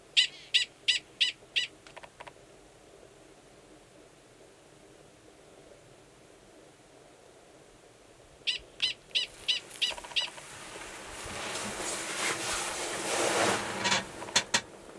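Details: Gunnison's prairie dog male calling to mate beside a burrow with an estrous female below ground, Valles Caldera National Preserve, New Mexico, in March. Two runs of rapid high barks, the second overlapped by a loud rushing hiss of wind or handling noise.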